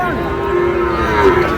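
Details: A small bull calf, one of those bought by a Comilla farmer in Bangladesh on 14 May, gives a single steady, level moo lasting over a second, with faint background noise.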